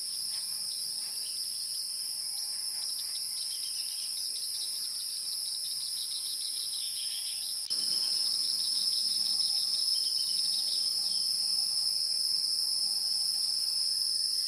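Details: Insects in the wild keep up a continuous shrill, high ringing trill, pulsing rapidly and evenly. Partway through, the drone abruptly grows louder and brighter, then carries on steadily to the end.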